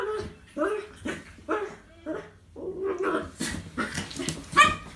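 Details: Two dogs playing together, a 10-month-old Chinese Crested puppy and a 9-year-old Jack Russell: a run of short, harmonic barking yelps about every half second, then rougher, noisier vocal bursts with a higher squeal near the end.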